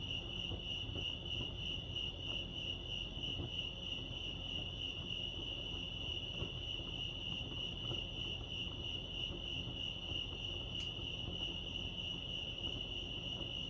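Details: Lake Arrowhead crickets in California keep up a constant high, rapidly pulsing chirp, unbroken for the whole stretch, with one brief sharp click partway through and a faint low background hum.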